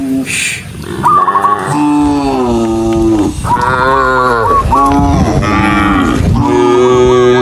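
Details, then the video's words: Cows, dozens of them, run along a rural road and call continuously. Deep, sustained moos with rising and sagging pitch overlap in a chorus, with a brief faint hiss at the start. "Dozens of cows running happily along the rural road with the sound of their mooing, cow Sound"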